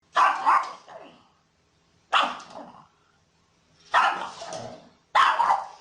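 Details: Pug barking: four loud, harsh bursts about every one and a half to two seconds, each a doubled bark trailing into a softer rasp, with silence between.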